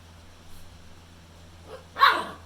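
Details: A pit bull puppy gives a single sharp, high yappy bark over a low hum, barking at his brother, apparently trying to get him to bring a toy back.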